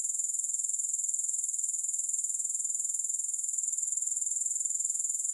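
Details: Grasshopper sound recorded with no music, a high, rapidly pulsing trill of evenly spaced beats, about four per second, steady and uninterrupted throughout.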